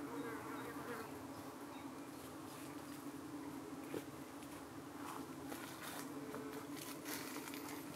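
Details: UK honey bee hive in the evening, bees defending against several kinds of attacking parasitic flies; a thick, steady buzz of many bees with faint brief whines of passing insects and soft high chatter behind.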